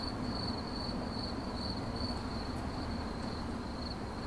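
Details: Chirping cricket, 8D audio: a thin, even, high trill that weakens slightly toward the end, set against a dense low rumbling hiss.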